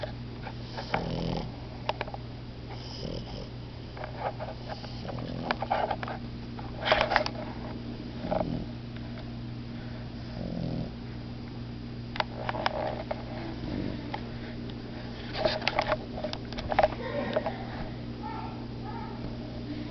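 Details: Puppies Momo and Lela snore through a nap, with irregular rasping breaths and small clicks and rustles scattered across the recording, all above a constant low room hum.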